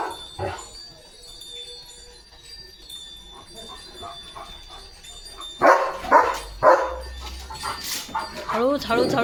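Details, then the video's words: Barking from Leo, a pet German Shepherd, telling the household that rain is coming: a quiet start with murmured talk and music, then three sharp barks close together, followed by a human voice. "बघा Leo The German Shepherd कसा सांगतोय – पाऊस आलाय!"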